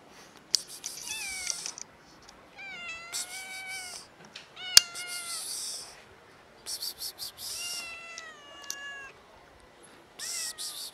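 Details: Two cats meowing at their feeder, wanting food; a series of drawn-out, tonal meows, some wavering or falling at the end, roughly one every second or two, between bursts of rustling noise.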